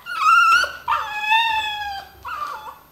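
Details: Pet dogs "talking" to their owner with tonal, whining howls: a rising wail, then a long slowly falling howl, and a short wavering phrase at the end. A woman speaks Dutch just before.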